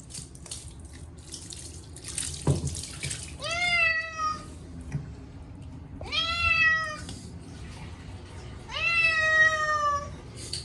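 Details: Chacha, a short-legged Munchkin cat, yowls loudly during his once-a-year bath on a hot day, washed with a silvervine cat shampoo: three long, harmonic-rich meows that rise then hold, spaced about three seconds apart, with splashing water between.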